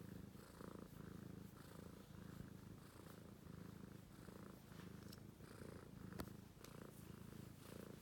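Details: A sleeping British Shorthair kitten purrs nonstop, a low rumbling hum that swells and eases with each breath.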